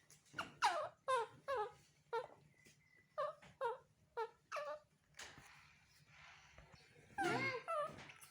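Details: Crying for his mother's comfort and hug, a baby male monkey utters a rapid series of short falling squeaks, about two per second, then pauses before a louder, longer wavering wail near the end.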